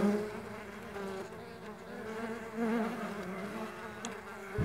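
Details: Flying Mandaçaia stingless bees give an overlapping hum of several buzzing tones that bend gently up and down, with a brief louder pass near the start and a soft click toward the end.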